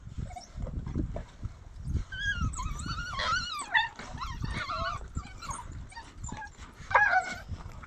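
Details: African wild dogs feeding on a donkey give high, wavering twitters and squeaky whines over a low rumble of background noise.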